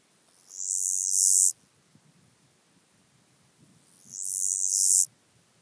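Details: Black-spotted toothed grasshopper at Kyffhäuser, Germany, 19 July 2018: two high, dry hissing phrases, each rising in loudness over about a second and stopping suddenly, roughly three seconds apart.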